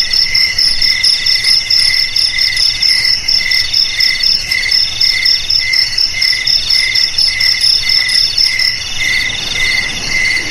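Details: Continuous cricket chorus of high, ringing chirps, pulsed roughly twice a second and layered over one another, fading slightly toward the end, with nothing else clearly heard.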